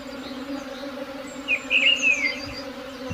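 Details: Even, continuous drone of a buzzing swarm, a low steady hum, joined midway by a short burst of high twittering bird calls and a soft thump near the end.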